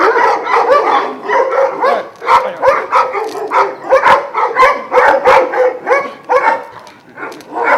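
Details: Šarplaninac dogs at a kennel in Jasika near Kruševac, Serbia, twelve of Vujanski lineage; a chorus of overlapping barks, yelps and whining calls rising and falling continuously, several dogs sounding at once, with sharp clanking knocks scattered through.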